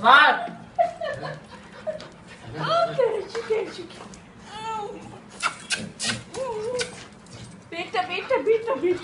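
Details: Four-month-old Golden Retriever puppy greeting its owner after four days apart, giving high, wavering whines and short rising-falling whimpers in bursts, mixed with people talking and laughing close by.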